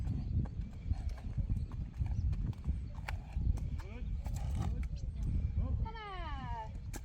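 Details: Friesian horse whinnying as colts Teije, Rein and Tsjerk and the fillies are taken out to pasture with Tjalle, a new companion from Stadsboerderij de Sibbe; near the end a loud, falling, richly harmonic neigh rings out over wind rumble, hoof thuds and Dutch voices.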